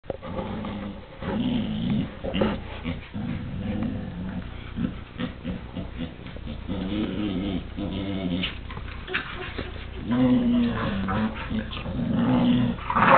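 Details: Two pet dogs fight over a chew toy, the little dog very aggressive; deep rumbling growls in harmonic bursts of one to two seconds, swelling and fading with snarling noise between, repeating through the fight.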